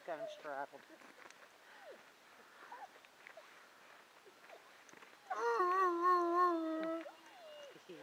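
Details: Buford, a dog, romping and singing: after soft talking, a loud, steady, harmonic howl-like note holds for nearly two seconds with a slight wavering pitch, then drops away into quiet voices.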